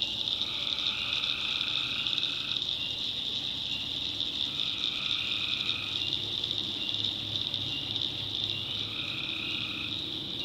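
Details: Many tree frogs call together at night in North Carolina backwoods: an unbroken high buzzing chorus, with lower trilled phrases of about two seconds returning at intervals.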